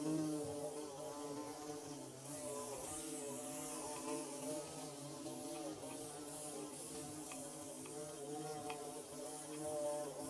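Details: Bees buzzing while building their nest, a steady droning hum with layered wavering harmonic tones that shift slightly in pitch throughout, many insects overlapping, with faint high hiss above.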